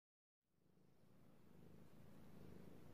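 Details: Domestic cat purring while being petted, recorded indoors: silence for the first half second, then a low, steady rumbling purr that slowly grows louder and holds through the end.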